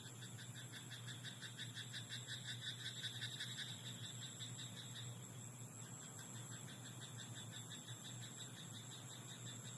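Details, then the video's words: A frog in a rice paddy at night croaks in a fast train of pulses during the opening seconds, then stops, leaving a steady low hum and faint high whine. "田んぼのカエル "Croaking frog in rice paddy at night""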